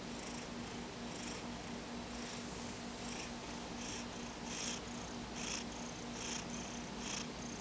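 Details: Afternoon nap of Paco the cat, paw over his eyes: gentle wheezy snoring breaths, about one each second, growing slightly stronger toward the end over a constant low background hum.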